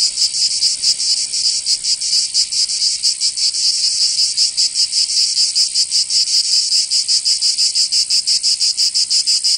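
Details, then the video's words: Cicadas in summer, Provence, southern France: a loud piercing buzz broken into distinct rapid pulses, the beat growing sharper and more clipped toward the end. "Canto Cigarra 🦗 [ Escuchar les cigarras en verano 10 H]"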